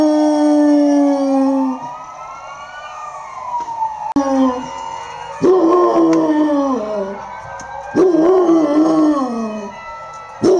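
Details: Bodzio, a Basset Hound living near a hospital, howls along with ambulance and police sirens: a long steady howl, then loud wavering howls that slide downward, with siren wails rising and falling behind him.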